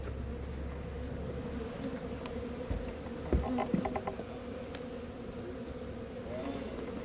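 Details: Honey bee swarm being relocated from an undesired location: a steady low buzzing drone with a clear overtone, broken midway by a few sharp knocks and handling taps.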